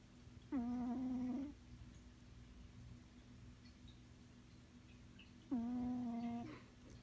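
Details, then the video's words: A house cat named Natasha snores while asleep, giving two drawn-out, evenly pitched buzzy-whistled breaths about five seconds apart, each lasting nearly a second, against faint indoor background hum. "Kitty snoring"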